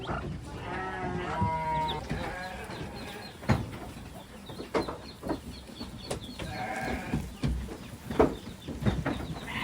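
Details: Domestic goats, a kid with its mother and father, give two short quavering bleats several seconds apart among scattered clicks, knocks and shuffling sounds, possibly a chicken faintly in the background.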